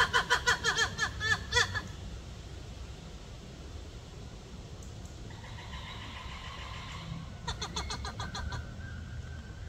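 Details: Black-and-white ruffed lemur giving a raucous series of rapid, harmonic pulsed calls for about two seconds, then quieter pulsed bursts that return several times later over a steady low background rumble.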